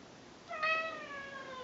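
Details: Ragdoll cat (Felis catus) gives a single long, clear meow that slowly falls in pitch, asking for Greenies treats after the owner comes home, with the owner talking.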